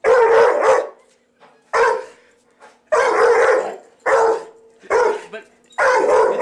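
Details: Domestic dog barking at a vacuum cleaner, six loud, rough barks in uneven bursts roughly every second, some doubled, against a low constant machine hum.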